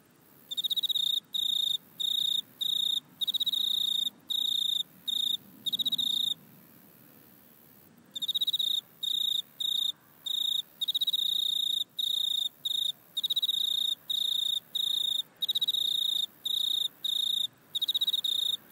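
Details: Shrill, high-pitched trilling bursts from a grasshopper in a back yard, recorded with an iPhone, repeating about every second with a roughly two-second pause near the middle before the rhythm picks up again.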